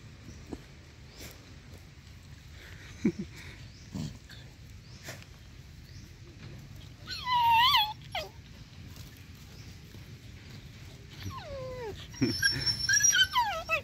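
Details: Stray dogs playing and digging together happily, including a playful friendly puppy: high, wavering whines that rise and fall in two bursts, near the middle and again toward the end, with quiet rustling and digging noise between them.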